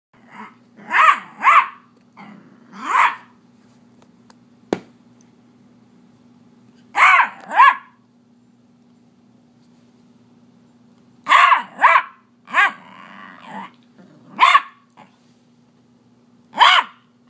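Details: Zoey, an 8-week-old Beagle puppy, barks in protest because her toy was taken. Short, sharp yaps come in quick bursts of two to four, with low growly undertones and pauses between volleys. Roughly a dozen barks in total, plus a faint steady hum.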